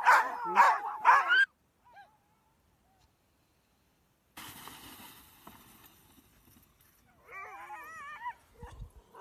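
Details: Greenland Dog pack in Greenland: a few loud harsh barks in the first second and a half, then near silence, a stretch of broadband noise, and later several wavering whines.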